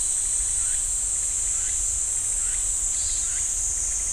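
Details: Continuous shrill cicada drone in the Ssanggyesa temple pine forest, Jirisan National Park, holding steady throughout, with a few soft, lower swooping notes repeating about once a second in the background.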